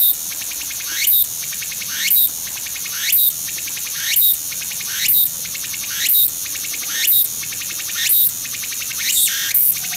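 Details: Tsukutsuku-boshi cicada in Shizuoka, Japan, 3 September 2017, calling at close range. A constant shrill hiss is punctuated by regular rising swoops with loud peaks, roughly one per second, evenly paced throughout.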